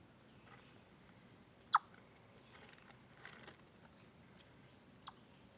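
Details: A chipmunk gives a few sharp, abrupt chip notes, spaced irregularly over a quiet background hiss, recorded 27 August 2013 from a live-stream camera on a deer trail.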